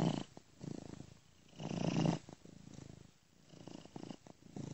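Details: Domestic cat purring in its sleep, a friend's recording looped with software ear-to-ear panning; low, muffled rumbling purr swelling and fading with each slow breath.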